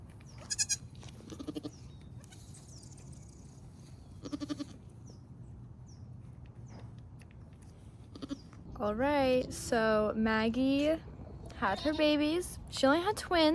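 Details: Nigerian Dwarf dairy goats on a Northern California farm, where the doe Maggie gives birth to twins for the first time. Quiet opening with faint voices, then loud wavering bleats with rich overtones arrive in two bursts near the end.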